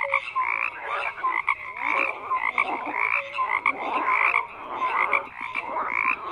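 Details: Chorus of many frogs, continuous raspy croaking with brief whistled notes woven through, loudness rising and dipping in waves about once a second, nothing else audible.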